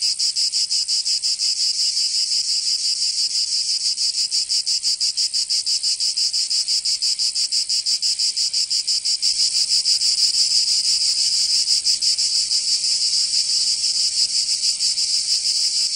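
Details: Cicadas in summer in Provence, southern France, producing an unbroken rasping high buzz with quick even pulsation that grows slightly louder midway, no other animals or voices.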